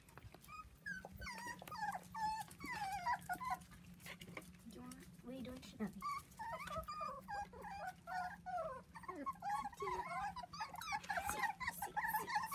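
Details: Dachshund puppies, four weeks old and seven in all, whine and whimper while playing with kids on a trampoline; dense overlapping high, wavering squeals and yelps, with a steady low hum and thumps underneath.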